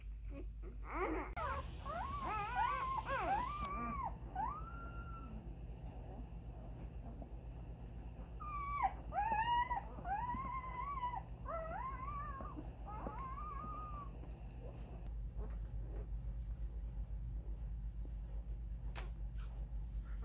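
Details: Husky mix foster puppies, part of a litter of twelve born in a house and kept there for nine weeks, give high arching whines and yelps in quick bursts. A steady low hum runs underneath, and a quieter stretch follows.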